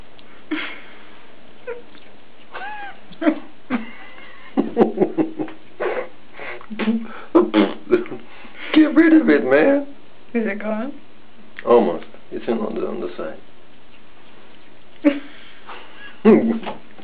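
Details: Two-month-old kitten Captain Cat Sparrow mewing over and over indoors, with rising and falling wavering cries and short squeaky bursts, while people talk in the background.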